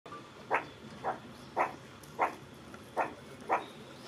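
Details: Meerkat giving an unexpected call: six short, sharp bark-like notes, each a brief burst, spaced roughly half a second apart with slightly uneven timing, over a quiet, faint background hiss.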